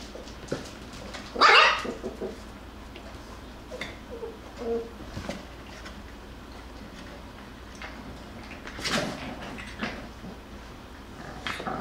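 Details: Jackabee puppies, a Beagle and Jack Russell cross from Miss Sansa's litter, playing and wrestling together: a sharp high yelp near the start, a few soft grumbles, then another brief whining cry later, with rustling between.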